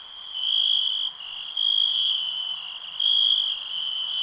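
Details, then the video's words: Cricket chirping: a shrill, high, steady trill swelling into louder bursts of about half a second to a second, roughly three times across four seconds, over a constant thin background hum. "Nature sounds, cricket relax"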